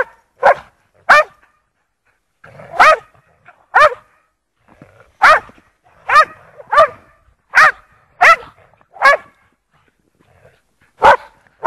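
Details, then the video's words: Lurcher dogs playing in snow at Priory Marina, Bedford, England: about eleven short, sharp barks, often in quick pairs, separated by brief quiet gaps. "snow lurchers"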